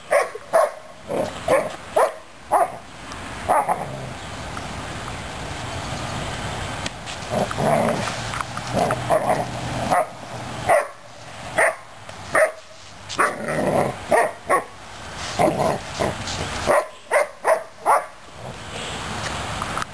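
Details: Newfoundland puppy named Suzy Q going after a broom during sweeping, playing. Short vocal bursts, some with tonal mid-pitched bands, come in irregular clusters throughout, mixed with sharp clattering and scraping knocks from the broom.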